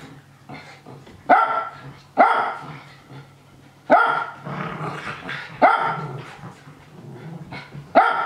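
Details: Excited Japanese Spitz urging on play-fighting young dogs. It gives loud, abrupt barks at uneven gaps of roughly one to two seconds, with quieter yelps, scuffling and low growls filling the pauses over a faint constant hum.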